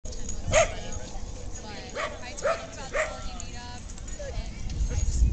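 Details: Corgis give short, sharp barks, several in a row, at a January corgi meetup, with people talking in the background.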